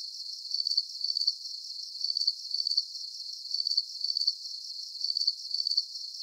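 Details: A chorus of crickets gives shrill, buzzy chirps in regular doubled bursts, each pair separated by a short pause, over a faint constant hiss of more distant insects.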